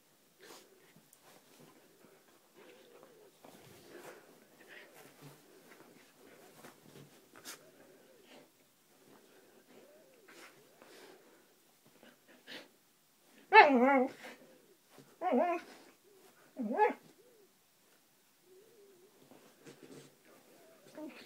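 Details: Roxy, a Siberian husky, playing indoors: after quiet snuffling and soft noises, three loud, harmonic, wavering vocal bursts come about a second apart, the first longest, followed by further soft sniffs.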